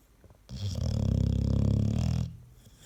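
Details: Single long, loud, throaty snore from an American Staffordshire Terrier, whose snoring is compared to a washing machine on spin; a low, fluttering rumble of almost two seconds, rising and fading in a quiet room.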